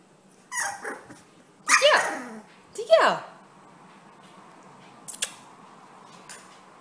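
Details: Bully puppies, four weeks old, from a Prankster x Oso litter, give two high, sharply falling whimpering yelps close together, with a fainter squeak earlier and brief clicks later, indoors, with a person's voice nearby.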